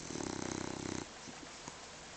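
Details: Dog asleep and snoring deeply: one steady, buzzy, fluttering snore of about a second, then quiet room tone with small soft clicks.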